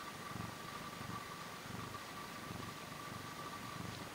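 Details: Short-tailed Portuguese cat recorded up close, purring steadily: soft low rumbling pulses swell and fade about every 0.7 seconds, with a faint constant hiss and a thin steady tone in the background.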